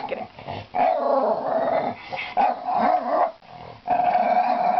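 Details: Pet dog playing at a laundry basket with a toy inside, pretending it cannot get the toy out; rough, grumbling play vocalizations in bursts of about a second, separated by short pauses.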